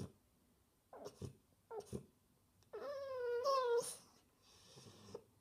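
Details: Indoor French Bulldog looking for attention gives a few short huffs, then a wavering whine that rises and bends, ending abruptly; a person asks what is wrong.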